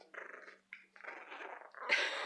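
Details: Two Cairn Terrier puppies, a male and a female about three and a half weeks old, growl while wrestling, still toothless but already protecting; short raspy, breathy growls in bursts with brief pauses, ending in a louder harsh snarl.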